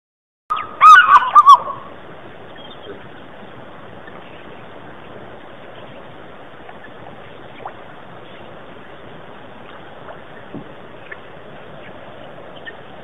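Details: A chacma baboon at Pete's Pond, Mashatu Game Reserve, southeastern Botswana, on 15 April 2008 gives a brief, loud, harsh barking call, followed by a steady outdoor background hiss.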